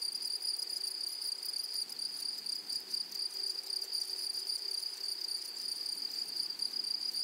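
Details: Grasshoppers in a flowery meadow or prairie give a steady, high, shimmering buzz that runs unbroken throughout, with a fainter, thinner overtone above it and a soft, flickering texture. No other clear sounds.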